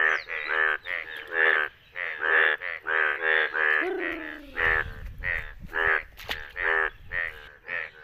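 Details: Several yellow Indian bullfrogs croak in rain in India, rough nasal calls repeated in uneven bursts, with a brief sliding squeal midway and low splashing noise behind.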